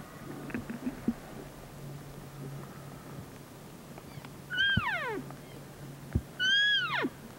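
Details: Bull elk during the mating season bugling: two high whistled calls near 4.5 and 6.5 seconds, each rising then sliding steeply down with bright harmonics, after a few faint short notes early on and over a steady low hum.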